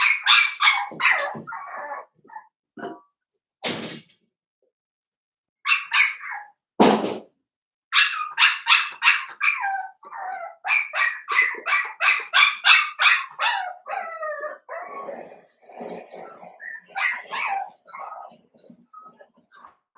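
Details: Young blenheim Cavalier King Charles Spaniels, seven-week-old littermates in a puppy pen, giving high, thin yips and barks in quick irregular bursts with short quiet breaks and a few sharp knocks.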